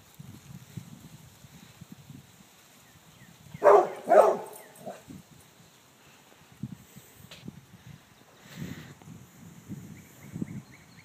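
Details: Basset hound barking while being taunted by a squirrel outdoors; a single loud, doubled bark bursts out around four seconds. Before and after come quiet stretches of low rumbling and faint scattered knocks.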